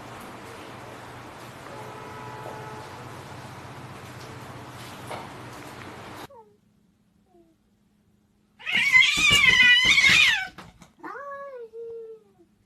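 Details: Domestic cat heard in a lighthearted home recording: after a stretch of low background hum and quiet, a loud, strained, wavering meow lasting about two seconds, then a shorter falling meow trailing off, indoors.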